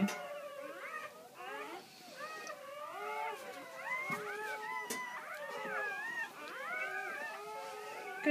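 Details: Newborn Great Pyrenees puppies crying as their mother gives birth to her first litter of ten, six females and four males, on a farm; many overlapping high, wavering squeals and whines rise and fall continuously, with brief rustling.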